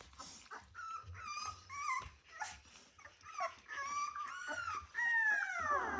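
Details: Rottweiler puppies at 24 days old, ten in the litter: clear tonal whines and yelps, rising and bending, about every half second, ending in a long drawn-out falling whine; light rustling below.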